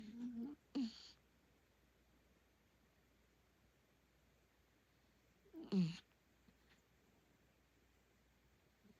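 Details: A miniature dachshund sleeping at night gives low, rumbling snores with a breathy rasp, several seconds apart.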